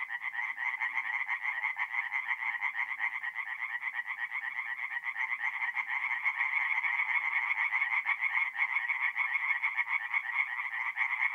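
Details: Tree frogs singing at night at a forest pond in north-east Italy in mid-April; a dense, continuous chorus of rapid rattling pulses, about two per second in loudness swells, with a bright band held steady throughout.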